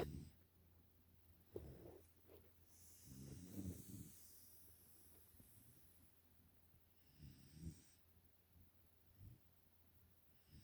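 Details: Nala, a Pungsan puppy aged five months in the USA, snoring softly in her sleep. Quiet, irregular low snuffling snores with a few sharp clicks and a brief airy hiss.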